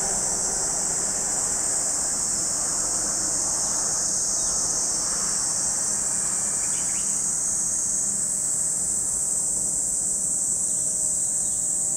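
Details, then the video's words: Unwavering, piercing drone of cicadas at Lake Kamo in Sado City, Niigata Prefecture, Japan, set against a low rumbling background of vehicle noise. "Lake Kamo in Sado City, Niigata Prefecture, Japan, where you can hear the voice of cicadas."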